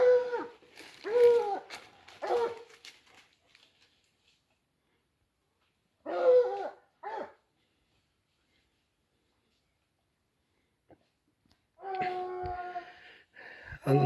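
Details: Dogs chasing a wild boar give bursts of excited, yelping, tonal barks. A quiet gap follows, then a drawn-out, wavering baying note near the end.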